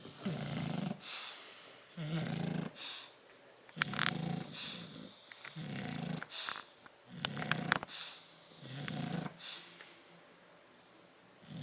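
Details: Rasping snores roughly every second and a half from Tyson and Tyra, two bulldogs dozing in a crate on 30 October 2012, each breath a rough rattle, with a few light clicks between.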